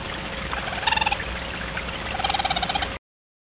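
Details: Mother raccoon and her two kits conversing at night, caught on a wildlife cam near a back door: two bursts of fast, quavering trilled chitters, about ten pulses each, rising out of a steady electronic hiss.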